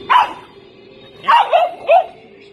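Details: Small pet Chihuahua letting out one sharp bark, then a pause, then a quick run of three yaps over a steady low hum in the room.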